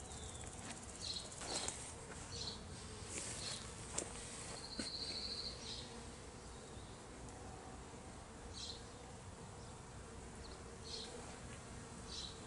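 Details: Steady droning hum from honey bees outside their hive as they are gathered back in, late May 2023, with brief high trills, light tapping and handling noises mostly in the first half.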